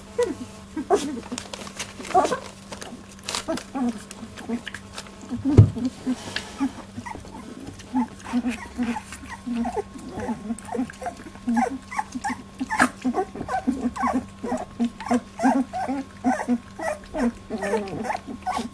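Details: During their first milk fight at 18 days, Labradoodle puppies make a busy run of short high squeaks and whimpers. The calls grow quicker and more crowded toward the end, with a thump near the middle and a constant low hum.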